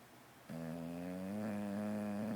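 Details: English Bulldog in a deep sleep indoors, snoring hard while twitching; one long droning snore with a low buzzy tone, starting abruptly after a quiet half second and holding steady for about two seconds.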